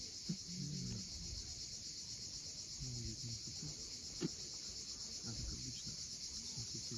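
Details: Steady high buzzing of cicadas at sunset above the steep Crimean coast at Cape Fiolent, continuous throughout, with surf rumbling below and a couple of short sharp clicks.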